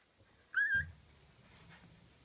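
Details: Gryzia's small puppies: one short, clear whistled squeak that wavers slightly, followed by a low rustling, with the room otherwise quiet.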